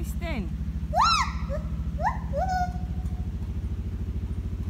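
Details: A gibbon at Salzburg Zoo sings early in the morning, a few swooping, rising-and-falling whoops over a steady engine rumble.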